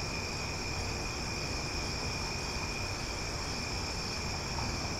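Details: Cicadas calling loudly at night in Omaha: a steady, unbroken high-pitched drone with several shrill layered tones, over a constant low rumble of background noise.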